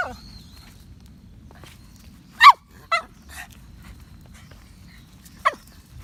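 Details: Toy Poodle on an evening walk outside while a typhoon passes on 29 October 2017, rain briefly stopped: three short, sharp yips, two close together then one after a pause, over a low, constant outdoor rumble.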